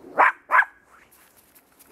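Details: Small Russian Toy Terrier dog on a winter walk, giving two quick sharp barks about a third of a second apart, then quiet with faint rustling; a woman's voice talks to the dog around it.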